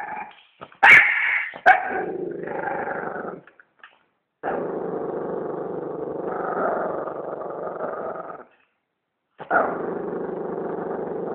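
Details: A dog gives a pair of harsh bark-like bursts, then long sustained snarling growls broken by short silences.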